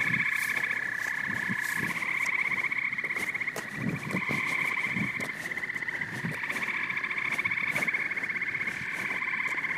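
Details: Frogs and toads calling together in a continuous rattling chorus, layered pulsed trills holding steady, with soft low thumps beneath and slight dips in loudness.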